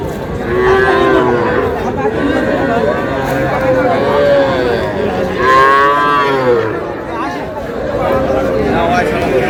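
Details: Young bull and heifer calves at a cattle market in Cumilla, Bangladesh, on 12 May, where a farmer buys them; several arched, harmonic, mid-pitched moos rise and fall over steady crowd chatter and men haggling over prices.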